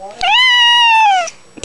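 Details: Orange Manx cat, annoyed while being teased indoors: one long drawn-out meow lasting about a second, steady then falling slightly at the end, rich in harmonics, with a brief human word just after.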